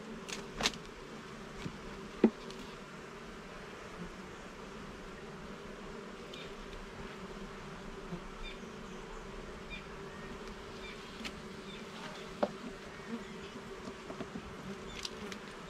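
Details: Steady low buzzing of a colony of honey bees in a garden hive opened for inspection, the drone constant throughout with occasional sharp clicks from frames being moved.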